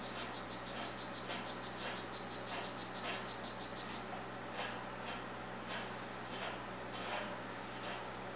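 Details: Male strawberry poison-dart frog of the Rio Guarumo form calling: a rapid series of high, buzzy chirps, about four per second, steady for some four seconds before stopping, followed by soft irregular tapping and faint background hiss.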